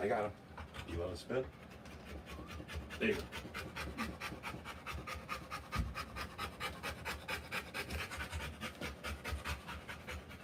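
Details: Rottweiler giving birth to puppies, panting in rapid, even breaths that run steadily from about the third second onward; a few voiced sounds and soft human voices come early on.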